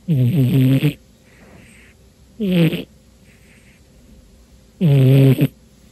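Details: Sleeping domestic cat, very tired on a dark New Year's Day afternoon, gives three low, rumbling snores with soft hissing breaths between them, the last snore longest.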